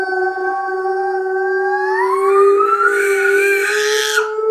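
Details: Howling duet between pet dog Diesel and young Layla; a loud steady held tone with a second voice rising beneath it, sustained for over four seconds without a break.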